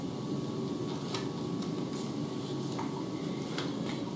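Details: Steady indoor hiss with clinking dishes, pots and cutlery, and a faint sizzling, with no animal voice heard.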